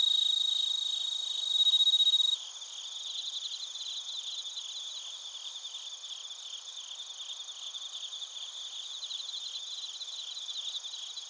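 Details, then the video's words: Bell crickets and other crickets calling in Narita, Chiba Prefecture, Japan, recorded on a TASCAM Portacapture X8. A dense, high, shimmering chorus of rapid pulsed chirps runs throughout, with a loud pure ringing tone standing out for about a second near the start. "スズムシとコオロギの鳴き声 - Chirping of crickets"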